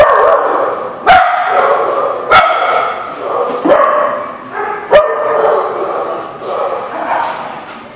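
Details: Dogs barking in a crowded setting, sharp single barks roughly every second or so over a steady murmur of overlapping yips and background chatter.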